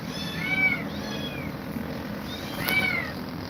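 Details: Domestic cat meowing while Grumpy Cat is scared of two mother cats; two drawn-out, arching meows, one near the start and one after about two seconds, over a low steady background hum.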